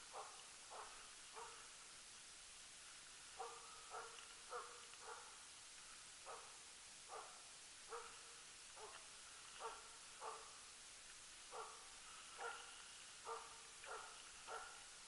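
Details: Jämthund Rapp working loose on an elk hunt, 2012: distant, steady barking, roughly a hundred barks a minute, often in pairs or short runs with brief pauses, against constant outdoor hiss.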